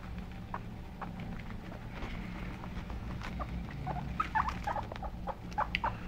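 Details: Several pet guinea pigs calling: faint, short squeaky chirps, some rising in pitch, scattered through the second half, over a steady low hum and light pattering.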